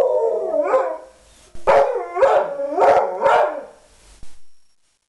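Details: Pit bull howling in drawn-out, wavering harmonic cries. A first long howl is followed by a pause, then four shorter howls about half a second apart, each sliding up then down, and a brief yelp at the end.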